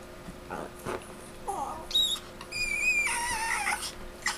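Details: Chino, a Chihuahua, recorded September 10, 2007, lets out thin, squeaky, high-pitched screeches that bend and waver, with a longer drawn-out squeal near the end, over a quiet indoor background.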